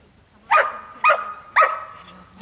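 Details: Giant Schnauzer Blackmoore giving three loud, deep barks about half a second apart, each a sharp burst with a short fading tail, over a quiet background.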